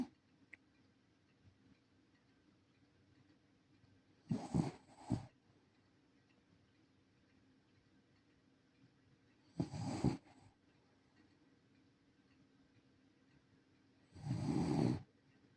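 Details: Fuku, a senior rescue Shiba Inu, snoring while asleep indoors in a quiet small room: three raspy, low breathy snores spaced about five seconds apart, the last one longest, with faint ticking between them.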